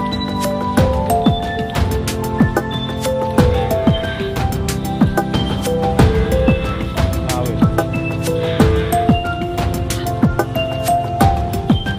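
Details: Loud, rhythmic background music with melodic tones and percussive hits plays throughout, with some speech mixed in and no animal sounds.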